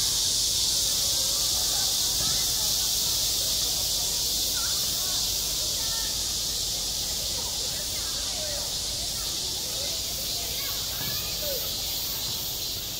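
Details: Midsummer cicada chorus over a school playground, an even, shrill, continuous buzzing wash that barely changes, with faint scattered rising and falling tones far beneath it.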